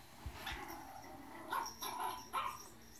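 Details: Playful Yorkshire Terrier named Chloe giving a quick run of high yapping barks, about four bursts clustered in the second half, over a low steady room hum.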